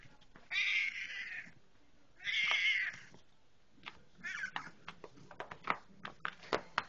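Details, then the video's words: House cat greeting its owner on arrival home with two long, bright meows, followed by softer chirps and scattered clicking and tapping noises while the owner talks. "talking when I come Home"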